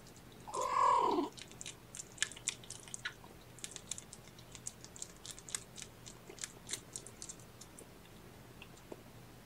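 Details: Domestic cat in a kennel shared by mother cat Gamora and her five kittens, born April 14th, during nap time. One clear, loud meow, about half a second long, near the start. Soft clicking, licking and chewing noises follow.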